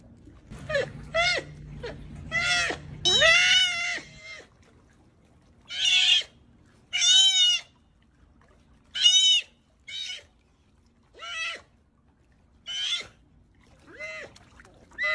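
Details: A sea otter (Enhydra lutris) crying, giving shrill, wavering screams repeated in bursts about every second or two.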